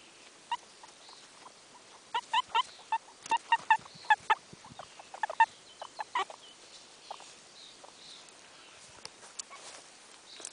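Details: Two pet guinea pigs, Pinka and Minka, out on grass: short, clipped mid-pitched squeaks with bright overtones come in irregular bursts, clustered mostly between two and six seconds, then fade to sparse soft chirps over a quiet outdoor background.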